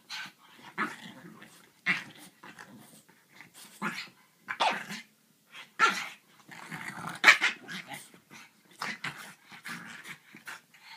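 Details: A French Bulldog gives rough, irregular growls and short yips while tussling with a griffon, whose snorts mix in.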